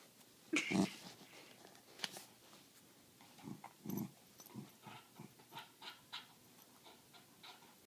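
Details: Australian Cattle Dog (Canis lupus familiaris), growl: refusing to give up its ball.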